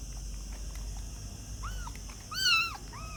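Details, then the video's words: Kittens making a few faint mews, then one louder, drawn-out arched cry, followed by a softer short mew at the end, over steady low background noise. "Baby Cats - cute and funny kittens sound | cat voice"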